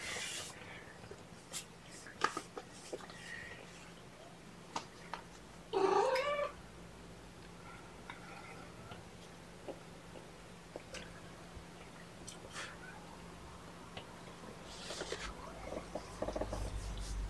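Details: Domestic cats, mother Seraphina and her four kittens (three males, one female), moved from a Lewis County, Washington shelter to Purrfect Pals, handled at lunchtime; one short rising meow mid-clip, otherwise a quiet room with faint clicks and rustling.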